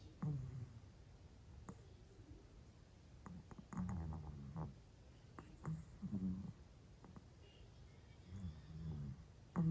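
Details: Worn out from a long day, a pet Pomeranian sleeps and snores, its usually faint snoring amplified: deep, throaty rasps recur roughly every second or two in uneven clusters, with a steady low hum beneath.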